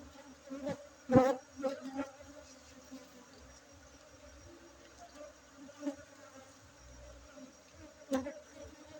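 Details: Honey bees at a honey harvest at a honey bee breeding site in Bener Meriah, Aceh, on 7 August 2023: a steady low droning hum with layered tones, broken by a few sharp knocks and thumps.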